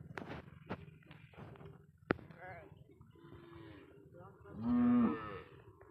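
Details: Cow said to have been smuggled across the Indian border and found on a char of the Padma river; one loud, drawn-out moo near the end, after scattered clatter, a sharp knock and people talking.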